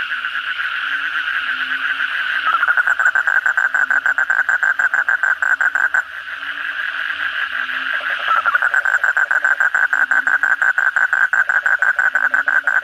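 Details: Many Asian common toads (kodok bangkong) calling at night after a downpour: a near-continuous pulsed croaking that swells in twice with a slightly rising start, over a dense chorus and a faint high whine.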